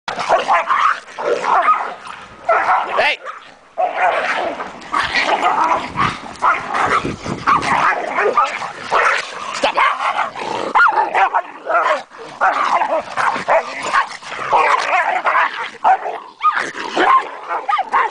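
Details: Dogs Athena and Lai Xi fighting over a toy, Lai Xi's bark changing as she keeps biting while being held back; dense overlapping barks, growls and yips throughout, with a person shouting commands.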